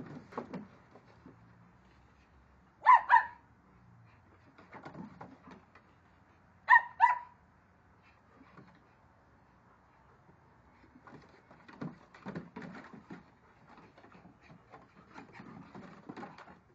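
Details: Two dogs, Onyx and the much smaller Moka, playing catch-me-if-you-can chase indoors; a sharp double bark rings out, then another about four seconds later, with soft scuffling and thumping of paws between.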